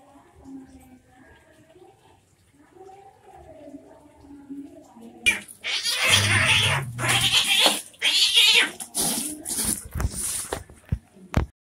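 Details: Domestic cats fighting, an orange cat among them: quiet low growls give way to a sudden burst of harsh hissing and spitting scuffle noise with thumps, ending abruptly.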